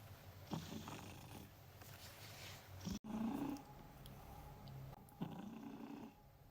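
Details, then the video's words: Pet cat snoozing as a work companion, giving rough, low, drawn-out snoring breaths with a brief click partway through, then another rasping intake near the end, against a soft constant hiss. "Watch Me Work While My Snoring Cat Unwinds!"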